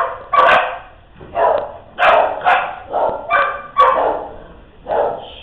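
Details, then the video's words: Playing dogs barking and yipping in a steady run of about nine short, bright barks, some doubled in quick pairs, with no other sounds. "Dogs Playing"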